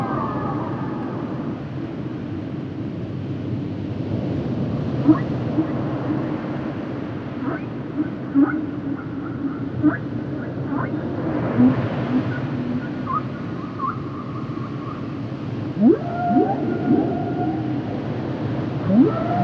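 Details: Humpback whale song as issued by Capitol in 1970 from Roger Payne's recordings: scattered brief clicks and chirps, a few sustained tones and quick rising sweeps late on, set in heavy low rumbling sea noise.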